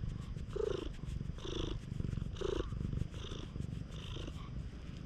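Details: A stray cat, affectionate at a campsite after rain, recorded on a GoPro HERO8 Black. Steady low rumbling purring runs throughout, broken by short soft chirping mews about once a second.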